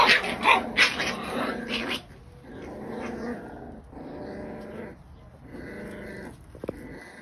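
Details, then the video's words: Puppies of Scottish bull terrier, Scottish terrier and English bulldog breeds in a play fight. Loud, sharp yelps open the scene, then lower rasping growls pulse steadily in repeated bouts. "Scottish bull terrier puppies fighting Scottish terrier English bulldog puppies"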